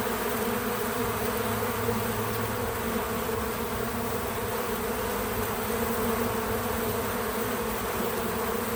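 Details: Real-time sound of bees visiting a feeder: a softer, even hum of many wings, a low drone with a shimmering higher layer, steady for nearly nine seconds without music or speech.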